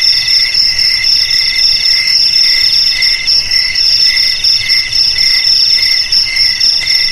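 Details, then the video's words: Shrill cricket song in short pulsed bursts, roughly four per second, over a steady high ringing drone; no other animals or noises intrude. "Suara JANGKRIK Pengusir TIKUS"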